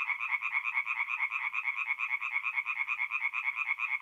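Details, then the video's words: Tree frogs in full nocturnal chorus at a forest pond, north-east Italy, mid-April: fast, steady train of nasal croaks, roughly two pulses per second overlapping into an unbroken rhythmic rattle. "relaxing forest pond by night with singing tree frogs"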